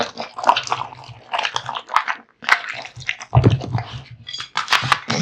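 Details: Male American Bully Kotetsu chewing raw meat and bones: clusters of moist crunching bites broken by short pauses, over a steady low hum in the room.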